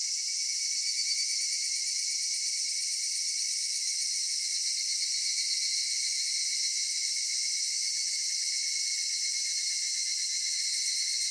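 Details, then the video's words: Evening cicada chorus in a cedar forest in summer, heard as one steady, shimmering high whine made of several stacked tones, constant from start to finish with no other sounds. "夏夕暮れ杉林 セミの鳴き声"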